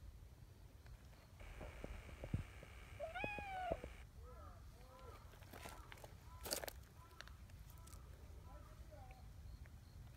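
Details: At a cat gathering, the chatty, affection-seeking brown tabby community cat Nyahha lets out one clear, rising-then-falling meow, followed by several short, faint chirpy calls and a brief human voice in the background.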